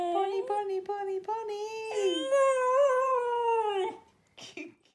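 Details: A female Cocker Spaniel singing along to Kaiser Chiefs' "Ruby" gives a few clipped, tuneful yelps, then a sustained, wavering howl that climbs gently before breaking off, with faint music behind.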